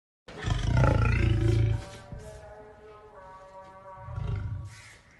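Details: An angry lion gives a deep, rumbling roar, then a shorter growling burst over a steady musical drone.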